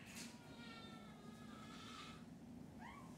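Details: Kittens expecting to be fed make a soft, long, level meow that fades, followed by a brief upward-sweeping mew, over steady low room hum.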